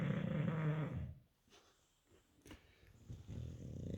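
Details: An English Bulldog snores with a deep, rough rattle, then a quiet pause before the next breath; the snoring is loud enough to be heard from an upstairs bedroom.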